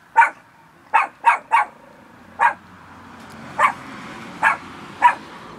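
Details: Short, high yappy barks from Bear, a fluffy little pet dog: a quick cluster of three, then single barks spaced about a second apart, over a faint background hum.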